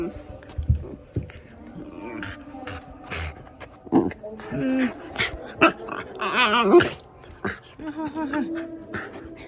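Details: Shiba Inu named Yuzu, panicking in fear as the second emergency warning for approaching Typhoon No. 14 sounds in Japan; wavering, harmonic whines and moaning cries rise near the end over human talk and room noise.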